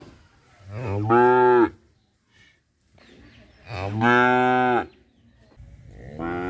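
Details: Cow mooing at Rosulpur, a sound locally rendered as "amba amba": two loud, rich harmonic moos about three seconds apart, each rising then falling, with faint low background noise between them.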